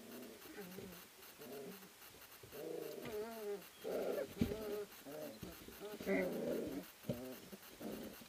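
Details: Three-week-old puppies from an Ari x Grace litter play-fighting in the whelping house at Endurance Kennels, a sprint mushing kennel; rapid overlapping squeaky growls, grumbles and whines tumble over each other with brief sharp yelps.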